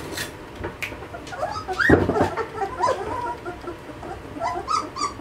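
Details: Two-and-a-half-week-old Malinois puppies from a litter, giving a few thin whimpers, one louder rising-then-falling whine near the middle, over a low background of rustling and handling noise.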